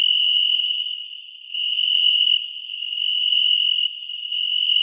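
A cicada's steady, high buzzing drone, swelling and fading in loudness, with crickets trilling along.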